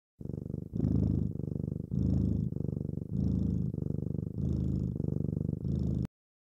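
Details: A domestic cat purrs while sleeping with her tongue sticking out: a low, rumbling purr pulsing in steady cycles of roughly one second, with each breath in and out audible indoors.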